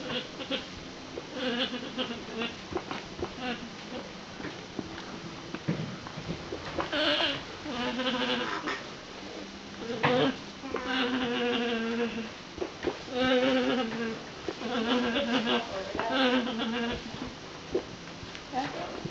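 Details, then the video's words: Several female alpacas humming and whining in quick succession, each call a short wavering nasal tone, sometimes sliding downward, in clustered bursts across the recording with short pauses between groups. "Funny Alpaca Noises"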